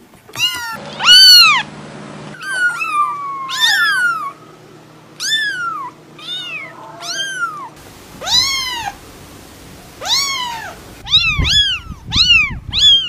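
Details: Lovely cats calling in a steady series of loud, arched meows roughly every second, some longer and falling in pitch, ending with quicker overlapping meows and low rumbling handling noise.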